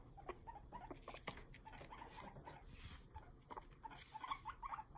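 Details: A male guinea pig (Cavia porcellus) chatters its teeth in sharp clicking bursts with a few squeaks, showing anger toward another male; the owner's boys do this when not kept together.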